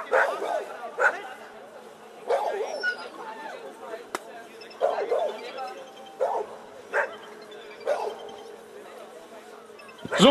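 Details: Barking by Chefrem of golden Samurais, an 11-year-old American Staffordshire Terrier, at a VPG protection demonstration in Germany where the helper throws away the bite sleeve; short loud barks come irregularly, mixed with a loudspeaker voice and background hum.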